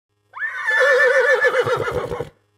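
A horse gives a loud, quavering neigh that starts high and breaks into pulsing, shuddering notes.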